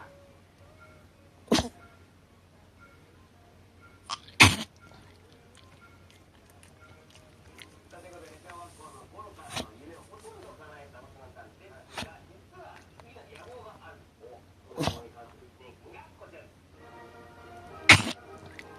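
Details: Chihuahua at night, on 1 January 2019, after surgery, in a fit of choking and sneezing: sharp explosive sneezes about every three seconds, with a worried woman speaking softly between them.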